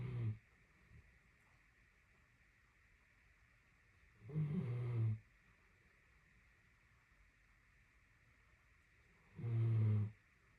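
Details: A napping female Great Dane snoring during a nap of about 30 minutes: deep, low rumbling snores, each lasting under a second, repeated roughly every five seconds with quiet breathing between them.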